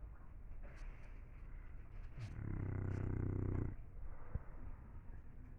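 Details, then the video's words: Single deep, rattling snore from an English Bulldog, swelling and fading over about a second and a half. Low, quiet breathing comes before and after it. "Bulldog inglés roncando"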